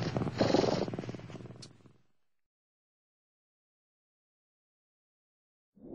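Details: One of seven Turkish Van kittens born 4 November 2009, crowded in a very narrow nest, gives a low, rumbling, pulsed purr for about two seconds before falling quiet.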